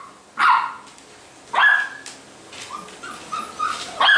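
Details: Basset Hound puppies at a Brazilian kennel give two loud, high yapping barks about a second apart, then softer whiny yelps and short squeaky barks trailing off.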